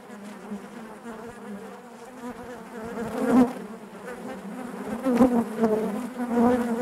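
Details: Hive interior full of honey bees humming, a thick low drone that grows fuller and louder in the second half, with rising swells around three and five seconds.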